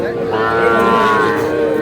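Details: One sustained moo with a steady tone, from a cattle market in Dhaka, Bangladesh, 4 February 2026, where small bull and heifer calves were traded; market voices murmur underneath.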